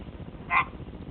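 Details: Albino Pacman frog about four years old, kept as a pet, giving one brief chirp midway, a short tonal burst with a clear overtone, set against a steady low background hum.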